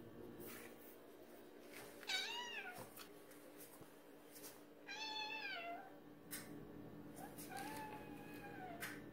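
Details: Hungry cats asking for food late at night give three separate plaintive meows, each bending up then down, with light clicks and household rustles between them.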